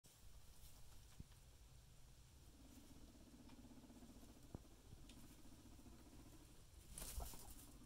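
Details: Big Mama, a guinea pig, getting comfy and settling down, gives a soft, low, rapidly pulsing purr-like rumble lasting about three seconds in a quiet room, followed by a brief rustling clatter near the end.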